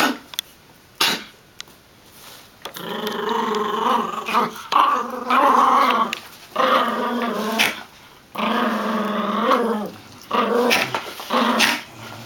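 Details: Golden retriever puppy Filé and chihuahua-dachshund mix Sonic playing tug-of-war with a toy; bursts of harmonic growling lasting one to two seconds, separated by brief pauses and scuffling noises.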